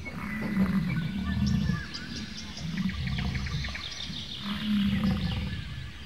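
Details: Bison making deep, rumbling grunts in several low bursts of a second or so each, with small birds chirping faintly above in an outdoor setting.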